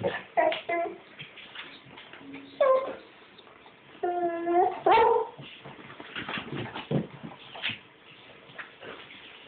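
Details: A pet dog indoors, reacting to something seen outside the window, makes short yips and strained whining moans in irregular bursts, with a longer wavering whine midway; a woman talks to the dog nearby.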